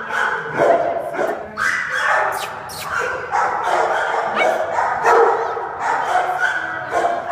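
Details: Female German Shepherd, slender and graceful, giving a loud, continuous run of high, harmonic whining yelps and short yips that rise and fall, with brief sharper bursts throughout and barely a pause between them.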